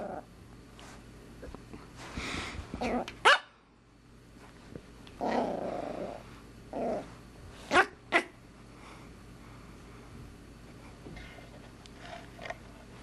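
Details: Female Pomeranian puppy about 14 weeks old, indoors, giving sharp high yaps around three and eight seconds between rougher growly bursts, with quiet gaps and faint room noise.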